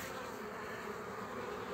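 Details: Honey bees buzzing while a colony is formed from a frame with bees and a queen; a steady, dense hum with a low drone band, continuous and even throughout.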